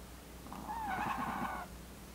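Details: Jamong, a male Maltese born December 2015, snores while sleeping: a single nasal, whistling breath lasting about a second.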